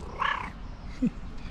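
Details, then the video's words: Mashinka, an affectionate, talkative pet cat, talking to her owner with a short meow: a bright, harmonic call rising and falling over a fraction of a second, followed by a brief low sound. "Talkative cat is talking to me with her cutest meow"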